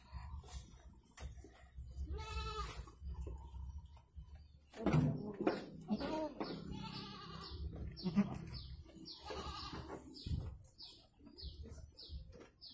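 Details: Goat in labour with two kids in Indonesia, a clear wavering bleat around the two-second mark and fainter bleats later, amid rustling, shuffling and a rapid run of high descending bird chirps toward the end.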